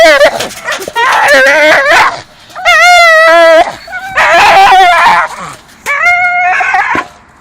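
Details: Two Staffordshire Bull Terriers chewing a dustbin lid swinging from a tree, giving loud, drawn-out harmonic whines and yelps in bursts of about a second, some wavering, with short gaps between them.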